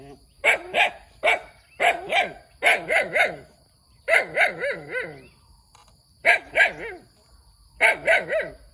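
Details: Cute puppy barking eagerly: high, sharp yapping barks in quick bursts of two to four, separated by brief pauses, with a faint steady electrical whine in the background.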